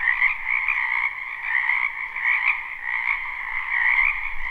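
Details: Spring wetland frogs in full chorus, a live unlooped recording: overlapping croaks merge into an unbroken, even trilling drone with a bright upper band and a softer lower one, rising and falling gently.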